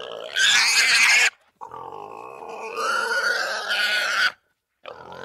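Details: Wild boar squealing loudly in harsh, broad bursts: one short burst, a pause, then a long drawn-out squeal that grows shriller toward its end, followed by the start of another.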